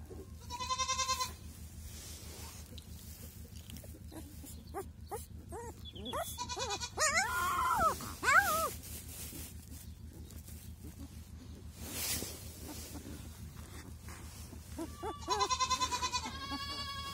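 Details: Two male Kangal puppies, a week old, whimper and cry. Sharp harmonic yelps open and close the stretch, with a run of rising and falling squeals in the middle. Soft handling noises and a low hum sit underneath.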